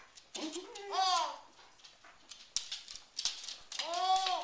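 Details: A 9-month-old baby works a rattling Swiffer mop while a corgi, who has "issues" with the Swiffer, gives high, arching yips and barks.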